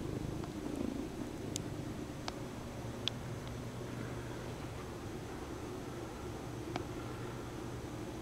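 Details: Bombay cat indoors kneading and holding a stuffed toy horse by the nose, purring; a soft, steady low purr under constant background hiss, with a few faint clicks.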